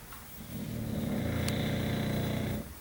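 An English Bulldog snores with a long, rumbling, low-pitched rasp.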